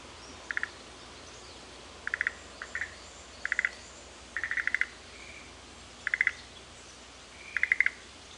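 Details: Frogs calling back and forth in the Shuhekien Japanese garden of Sanzen-in temple, Ohara, Kyoto, Japan: short rapid pulsed bursts in a mid-high register, repeated about every one and a half seconds, with a few soft whistled notes between them.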